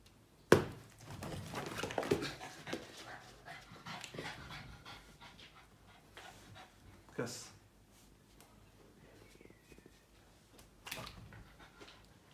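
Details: Yoda, a tired Boston Terrier obsessed with his ball, indoors after playing fetch: a sharp knock, then several seconds of quick, breathy, rasping panting that slowly fades, with a few later thumps in a small quiet room.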